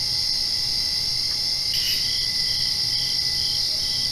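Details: Night crickets just after rain keep up a continuous high trilling hiss, with one brief brighter burst near the two-second mark and a low steady hum beneath.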